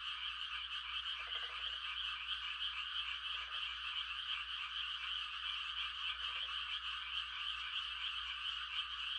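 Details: Frogs mating-calling on a calm country night in rice-planting season. A constant shrill, pulsing chorus carries three short, lower rattling croaks spaced a few seconds apart.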